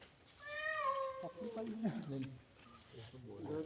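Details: Cat that had fallen into a well, meowing during its rescue: one drawn-out, slightly falling meow near the start, followed by men's voices calling instructions.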